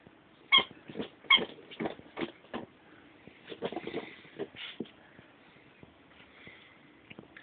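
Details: Ten-week-old Bichon Frise puppies give short, high yips and whimpers in quick irregular bursts, with a person's soft voice in between.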